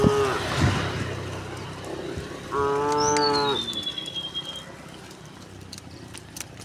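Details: Herd of tame cows, dozens strong, moving along a quiet country road: a faint low moo at the start, then a clear harmonic moo near three seconds alongside a thin falling bird whistle, with footsteps and rustling.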